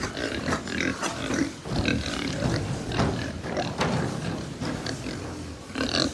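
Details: Pigs kept at a Japanese pig farm grunting together, rough low snorts overlapping without pause, a few brief higher squeaks rising above the herd's steady murmur.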